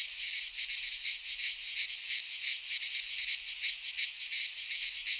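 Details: Cicadas in a Greek pine forest during midsummer produce a loud, sizzling buzz that pulses in soft waves a few times per second, continuous and high-pitched with no pauses.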